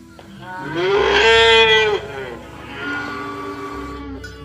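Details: A cow moving through mud in a rice field, calling companions to come home to the barn, gives a loud moo that rises and then holds, followed by a softer, lower, drawn-out moo.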